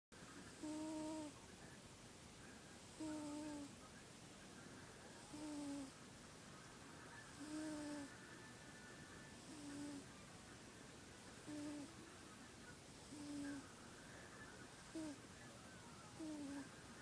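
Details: Buddy, a sleeping pet cat, snoring indoors: a whistled nasal tone with soft overtones and a breathy hiss on each breath, repeating about every two to two and a half seconds in a steady rhythm against a quiet room background.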